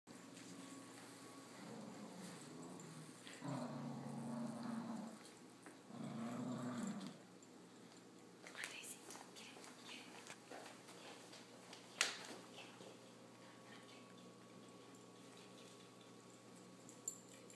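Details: Blue Picardy Spaniel puppy playing tug of war: two low, rumbling growl bursts of about a second and a half each, separated by a short pause, then quiet room noise with a few sharp knocks.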